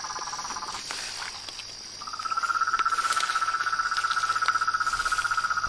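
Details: A frog chorus outdoors: a brief pulsed trill fades, scattered clicks and taps follow, then from about two seconds a steady, evenly pulsed mid-pitched trill takes over, with a continuous shrill insect drone high above.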